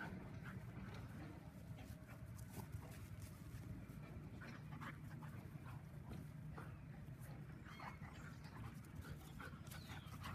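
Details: Bonnie, a Labradoodle, plays tug with Molly, her new Bernese Mountain Dog sister aged 10 weeks, using a rope toy. Continuous low grumbling and rapid panting fill the clip, broken by scattered short scuffling clicks.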